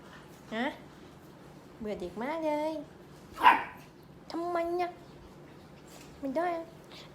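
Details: A group of purebred Pembroke Welsh Corgi puppies at a kennel farm in Om Noi, Samut Sakhon, Thailand, giving short, rising, yelping barks in separate bursts about a second apart, with one sharper yap in the middle.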